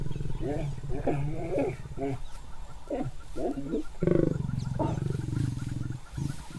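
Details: Lions mating in the wild, the female retaliating when the male's love bite is too hard; deep low growls and snarls in short bursts, a louder rasping roar-like growl near the end, with a man's voice talking over it.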